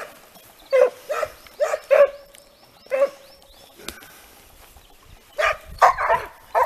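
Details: Italian hounds working a hare in training, giving spaced ringing bays with arched tones, a pause with a faint knock, then a quicker cluster of overlapping bays from more than one dog.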